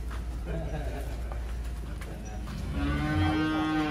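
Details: Giant barn cattle in Wonosobo, Indonesia, with a low, drawn-out, harmonic-rich moo rising out of the last second and a half, after a stretch of background music and faint talk.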